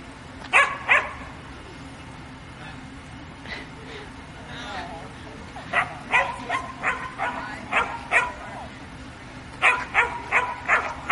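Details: Samoyed dog during an agility run, barking in sharp, bright bursts: a double bark at the start, a quick run of about six barks midway, then four more in rapid succession near the end, with faint voices in the background.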